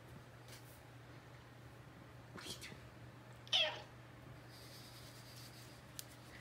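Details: A Bengal cat, described as very affectionate, makes one brief, sharp chirp-like meow midway, with faint rustling before it and a low steady hum throughout a quiet indoor room.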